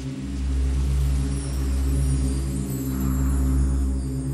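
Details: A steady, droning musical bed of low sustained tones and a loud rumble plays throughout, with no animal voice heard.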